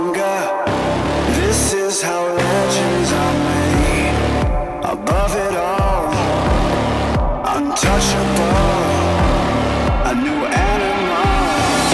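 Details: Loud pop-style music with a heavy beat and sung melody fills the recording, with no animal calls.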